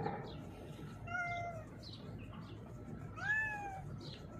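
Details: Hiding beneath a mixer truck, a female cat with a blind left eye answers calls with two moderate meows, a short flat one then a rising-falling one, against steady low background noise.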